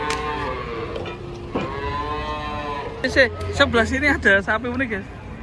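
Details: Giant cattle coming down off a truck in Indonesia: a long steady moo near the start, then a second low bellow, followed by men's loud chatter and shouts over engine rumble.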